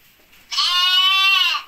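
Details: Ripollès lamb, recorded 30 June 2022, giving one loud, steady, nasal bleat lasting about a second, rich and harmonic, fading at the end.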